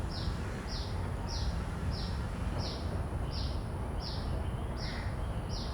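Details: A common cicada captured with shotgun microphones and a Zoom F3 recorder outdoors: a string of nine short, sharp, high buzzing pulses at an even pace, set against continuous low-frequency ambient noise.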